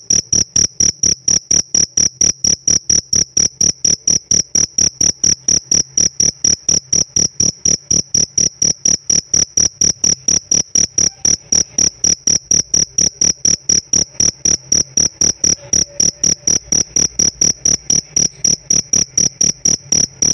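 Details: A pet cricket calls steadily for twenty seconds: bright, piercing chirp pulses, just over two per second, unbroken and evenly timed, with little else audible.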